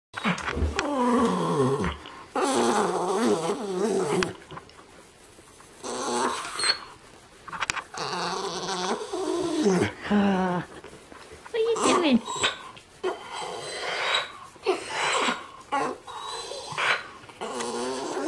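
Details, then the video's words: Twelve-year-old rescue Border Terrier making odd vocal noises indoors: harmonic, wavering growl-like moans and whines in bursts of one to three seconds, separated by short pauses, while a ten-year-old Border Terrier plays with a toy. "Border Terrier making funny noises"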